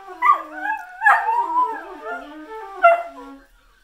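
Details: Whippet singing rather than barking loudly: a sharp yip leads into a sliding, wavering howl, another yelp breaks in, the voice warbles downward in pitch, and a final high yip closes the short sequence.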